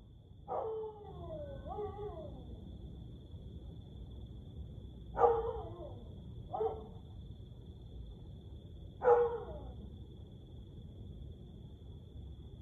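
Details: Siberian Husky howling at night, 1:49 am on 30 May 2021: a long wavering harmonic howl of about one and a half seconds, followed by three shorter, falling howls spaced a few seconds apart, over a steady faint high electronic whine.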